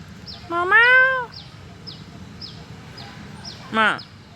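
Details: A black-and-white neighborhood stray cat gives one drawn-out arched meow, then a brief sharp one, against a background of repeated short high-pitched chirps.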